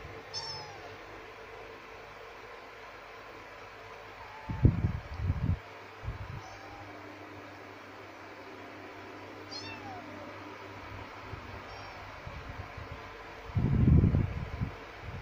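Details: Two kittens, one male and one female, give high thin meows, several short calls with rising-falling pitch spread through the recording, over low rumbling thumps and handling noise near the start and end.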